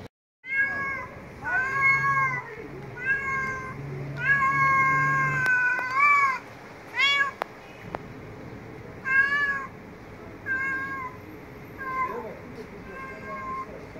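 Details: Street cats meowing and talking very loudly: a run of about ten clear, harmonic meows, some bending up then down, several in quick pairs, with short sharp clicks and a low hum underneath.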